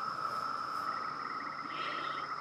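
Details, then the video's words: Periodical cicadas in Maryland, summer 2021, emerging after 17 years underground; a steady droning chorus holds one high tone throughout, with a faint pulsing buzz entering toward the end while people talk quietly nearby. "Cicadas emerging after 17 years underground"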